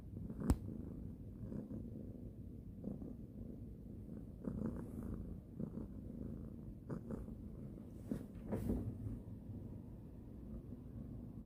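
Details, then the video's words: Cat being petted before falling asleep gives a low rumbling purr, steady underneath, broken by several brief clicking or rustling touches from the stroking hand. "잠들기 전 고양이 만지기"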